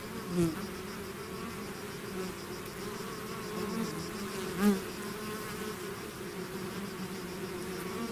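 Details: Bees swarming out of their hive make a steady droning buzz, layered low hum with individual bees passing close, two louder fly-bys near the start and middle.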